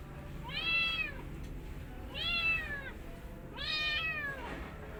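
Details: Mother cat with her kittens, indoors: three clear, high, arched meows, each rising then falling, spaced about one and a half seconds apart over a quiet background.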